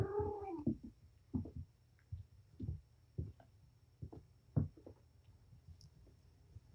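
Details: Indoor play between Patience, a surrendered mother cat, and her five kittens: one clear descending meow at the start, followed by a series of spaced soft thumps and patters of scampering paws.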